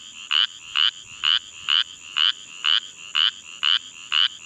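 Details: Spotted chorus frog hidden in flooded grass beside a roadside ditch, Caldwell County, Texas, giving evenly spaced short raspy pulses, roughly two per second, nine in a row over a faint steady high hum.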